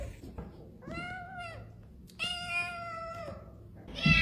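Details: Domestic cat indoors making a few plaintive meows. A short level meow is followed by a longer, steady one of about a second, then a louder burst at the end, with faint room noise between.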